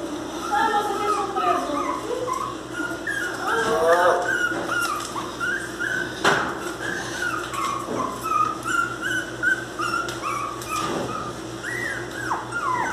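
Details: Miniature pinscher puppies, described as angry, crying indoors: overlapping high, whining whimpers that rise and fall in quick irregular bursts, with a steady low hum throughout and a few sharp clicks.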